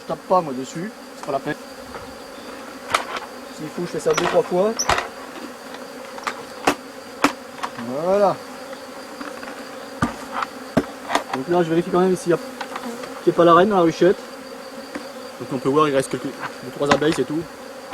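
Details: Honey bees from a rescued drone-laying colony; frequent brief fly-by buzzes, each gliding in pitch, interspersed with sharp knocks and clicks, over a continuous faint hum and a high, thin whine.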